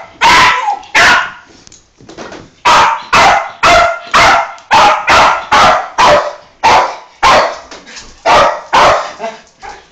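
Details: A Yorkshire terrier gives rapid, high-pitched yappy barks, about two each second, in excited greeting when a family member comes home from work.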